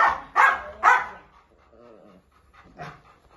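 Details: Labrador Retriever puppies offered for sale, three quick sharp yips in the first second, then a man speaking briefly and one fainter yip near the end.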